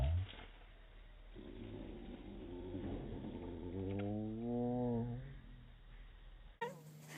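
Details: A white domestic cat playing with catnip meows, slowed down in slow motion into a deep, drawn-out, wavering moan.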